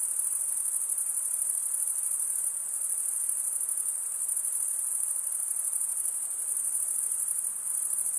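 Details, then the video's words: Massed male crickets stridulating give a constant, piercing, finely pulsed trill, uniform in loudness throughout, with nothing else audible. "cricket sound"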